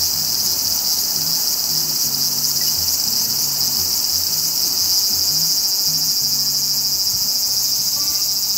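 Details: Large brown cicada (Graptopsaltria nigrofuscata) of Japanese trees, active July to September. A constant sizzling drone, shrill and even in loudness, covers the entire recording, over a soft low background rumble.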